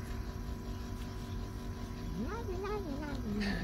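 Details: Hungry kitten, called a little lion, too afraid to approach while pets are fed in the rain in April 2024, its mother gone for days; one rising then wavering, falling meow over steady rain noise.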